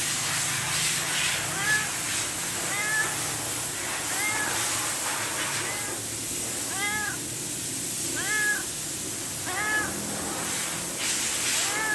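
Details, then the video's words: Hungry domestic cat meowing for food: about nine brief, rising-then-falling meows come at irregular intervals over a constant hissing, rushing background. "Cat Meow Meow for food (CAT IS HUNGRY)"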